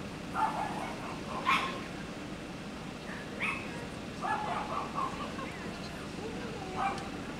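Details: Golden retriever at the Obihiro all-breed club dog show, Japan, 29 June 2024: short sharp barks at irregular intervals, some doubled, rising above a steady murmur of crowd voices and outdoor hubbub.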